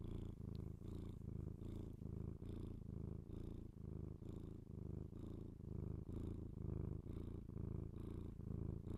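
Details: Domestic cat purring indoors, recorded binaurally up close for ASMR; a steady low rumbling purr in alternating inhale and exhale phrases, roughly fourteen cycles, with faint airy breath between phrases.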